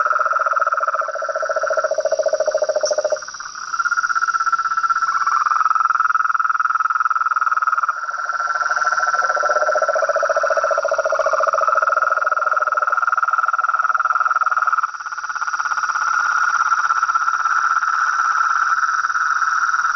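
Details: Frog chorus of toads, frogs and tree frogs in nature: several rapid pulsed trills at different pitches overlap continuously, individual callers starting and stopping every few seconds, with a constant high-pitched insect drone behind.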